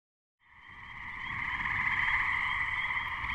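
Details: A chorus of gray treefrogs (Hyla versicolor), recorded in May 2010 just before a thunderstorm hit, gives continuous musical trills that overlap into a steady ringing wash, with spring peepers in the background.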